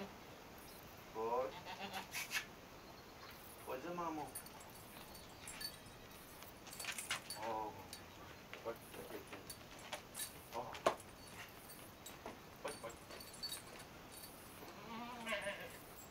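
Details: Morning in a village as goats leave their shed for pasture: several trembling, vibrato bleats rising and falling at irregular intervals, mixed with sharp clattering knocks and occasional human voices.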